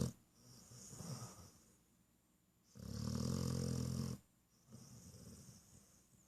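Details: Dog snoring in its sleep, June 8th, 2014: a soft rasping breath, a pause, then a loud, deep, rattling snore lasting over a second, and a quieter wheezy exhale.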